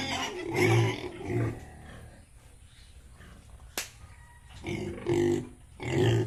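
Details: Pigs of Yorkshire and Hampshire breeds at a farm in Bongaigaon, Assam, uttering loud harmonic grunts at the start and end, separated by a quiet stretch and one sharp click.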